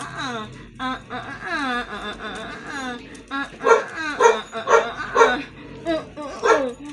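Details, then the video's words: Siberian Husky arguing, vocal and protesting: long sliding harmonic whines and yodel-like wails rise and fall, then a run of short punchy woo-woo calls repeated roughly every half second, with a person's exclamations around it. "HUSKY ARGUING 😭 DIDN'T WANT LIKE THIS"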